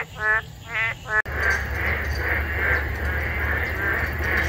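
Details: Boreal digging frogs chorusing noisily in a wetland on a cool, breezy morning of 24 June 2022, phone-recorded on a walk. Three nasal, harmonic calls come in quick succession, then a steady chorus of repeated pulsing notes over low rumbling.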